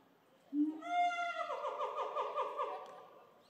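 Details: Screaming during a family fight among the Shabani gorilla group in Japan, May 2023, with Annie crying and Nene screaming as they chase Shabani: a low note jumps into a sustained, strongly harmonic wail that breaks into rapid pulsing throbs, then fades.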